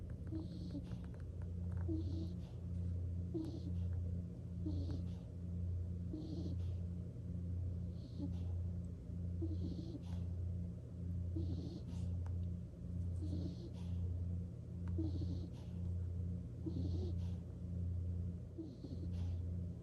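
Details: Skunk Nikko snoring while falling asleep: quicker, regular snoring breaths about once a second, each a brief breathy rasp, layered over a pulsing low hum throughout.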